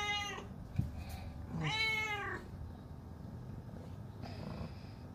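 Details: Pet cat that doesn't want to be left behind, calling indoors: the end of one meow, then a longer plaintive meow arching up and down, and a faint short third cry later, with a sharp tap and soft room rumble.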